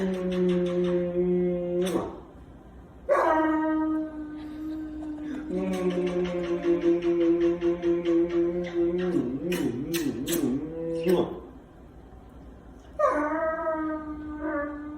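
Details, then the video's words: Kilo the Rottweiler, just kissed by his owner, lets out long drawn-out moans and groans. Several sustained tonal bouts are split by short pauses, and one bout has a wavering, warbling pitch. Faint music plays in the background. "Rottweiler makes hilarious sounds after getting kissed"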